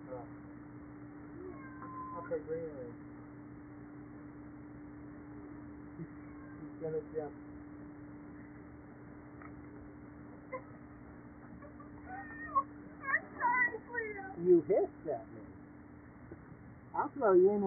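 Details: Cleopatra, a young Siamese cat, gives loud, drawn-out, wavering meows at home on 23 June 2012 as she is picked up and put on a boogieboard, over a man's voice and a steady mechanical hum.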